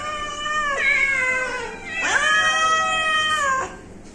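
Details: Pet cat meowing three times, each call a drawn-out harmonic wail that rises then slides downward, roughly a second apart, in a quiet indoor setting.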